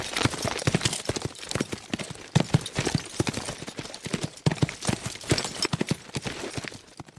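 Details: Fast horses galloping: a dense, uneven drumming of sharp hoof thuds packed close together throughout, surging and easing in loudness, with no neighs or other sounds.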